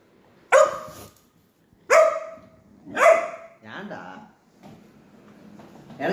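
Three sharp, resonant barks from a Labrador Retriever come roughly a second apart, each fading quickly; the dog is begging for food. Soft human voices and faint household sounds follow.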